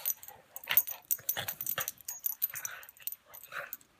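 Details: Buster the pug and Patton the English mastiff play-fighting: short high whimpers and yips in quick bursts, with snuffling breaths and scuffling between them.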